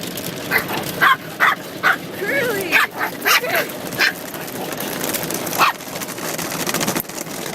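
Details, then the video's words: Puppy being washed at a car wash, giving a series of short, sharp, high yips and a few whining whimpers. A person talks in between, and there is constant spraying noise in the background. "Funny Puppy Car Wash!"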